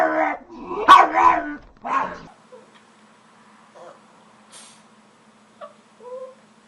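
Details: Dog making funny noises: a few rough barks and yips in the first two seconds, then quiet with faint short whines.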